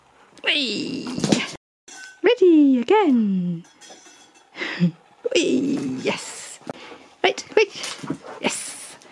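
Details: Male Husky named Nook indoors at Easter, vocalising at his Easter egg: rising-then-falling harmonic woo-woo moans that bend up and down, several in a row, mixed with a person's speech in a small room.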